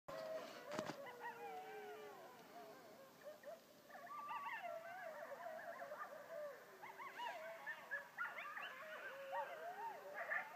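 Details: Many coyotes yelp and howl together on 17 October 2012, their wavering voices sliding up and down in a rising chorus.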